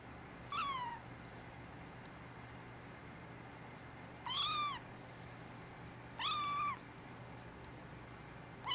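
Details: Male brown tabby-and-white kitten born December 24 cries for its mother with clear, high, drawn-out meows, each about half a second, four calls at uneven intervals of roughly two seconds, against a quiet indoor backdrop.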